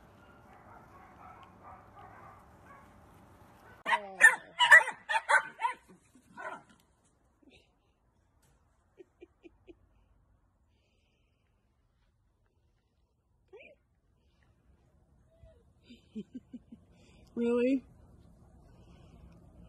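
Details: Playing miniature dachshund lets out a tight burst of sharp, harmonic barks early on. Later come a few short yelps and a brief whining note, separated by long near-silent stretches with faint clicks.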